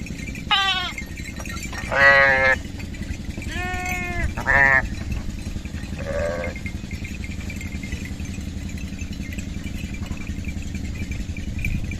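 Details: Young lamb playing with other sheep: a burst of four or five quavering, nasal bleats in the first five seconds, a softer lower bleat at six seconds, then only a steady low hum for the rest.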